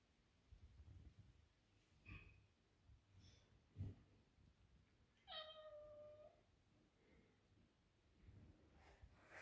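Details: One clear falling harmonic chirp from a house cat hunting insects indoors in summer, Shiro the male tuxedo or Keera the grey and white female, amid soft knocks, a low hum and scattered small noises.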